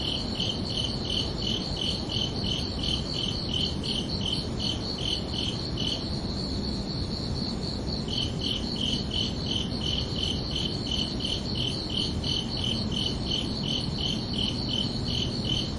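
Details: Night-time cricket chirping on a summer evening, even high pulses repeating quickly. The lower-pitched strand drops out for about two seconds midway while a higher strand carries on, all above a soft low rumble.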